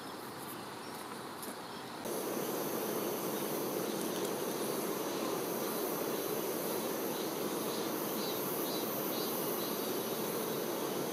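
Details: Honey bee workers attending their queen, a dense, steady hum of many wings. It is quieter for the first two seconds, then suddenly louder and constant, with faint high chirps in the background.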